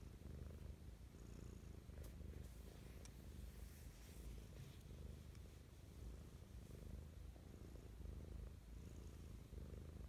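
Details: Domestic cat Mischa purring with morning affection, recorded very close: a dense low vibrating rumble for ten seconds under broad soft rustling hiss and a few small clicks.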